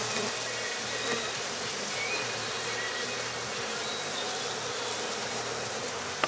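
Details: A colony of honey bees going into a hive at night in Rosharon, giving a thick, continuous buzz that stays even and unbroken throughout, over a low background hum.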